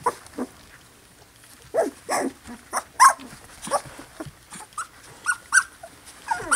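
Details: Two-week-old Poodle puppies from a Louisiana litter whimpering in short, separate, rising-and-falling squeals spaced about half a second to a second apart, fairly clear against a quiet background.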